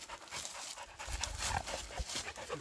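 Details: Husky panting after tracking a pregnant deer on a woodland mountain walk in South Korea; rapid, breathy, noisy huffs repeat steadily, with rustling underfoot and brief human voices nearby.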